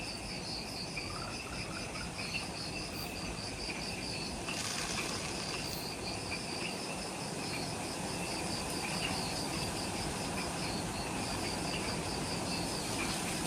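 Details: Insects in jungle forest at the Mount Omoto trailhead, Ishigaki Island, Okinawa, Japan, at twilight just after sunset: steady high pulsing trills in two bands, with a broad hiss and low rumbling background throughout.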